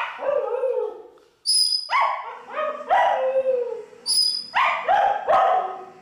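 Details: Pet Pomeranian howling along to music: wavering, falling yowls and yips in quick runs, each group introduced by bright high sustained musical notes.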